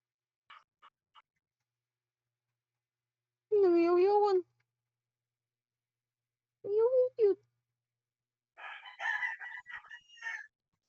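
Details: Neighborhood cat in a running feud with an orange cat: a few faint ticks, then two drawn-out, wavering, tonal yowls of about a second each, and a harsher, noisy, broken vocal burst near the end.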